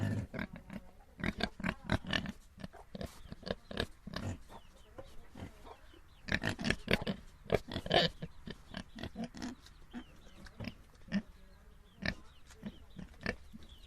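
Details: Small domestic pigs grunting and snorting in a dense, uneven stream of short, harsh bursts, some louder and squealy, with barely a pause between calls.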